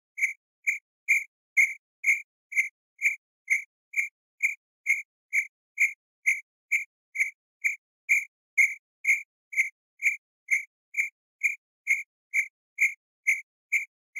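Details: Cricket chirps at a campsite, a monotonous train of brief high trilled pulses near two per second, very regular, with thin ringing overtones above and nothing else audible.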